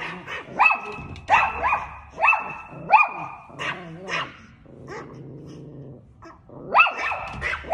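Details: Chihuahua barking at a cat: shrill, ringing yaps in a quick series, broken by low growly and whining sounds and soft Thai speech, then another short burst of barks.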